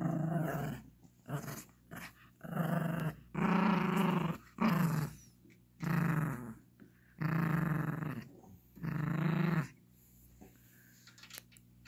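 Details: Gracie, a Yorkshire Terrier puppy, growling for her toy during indoor play with a ball while a Lhasa Apso joins in: about seven loud, rough growl bursts of one to two seconds each, separated by short pauses, over twelve seconds.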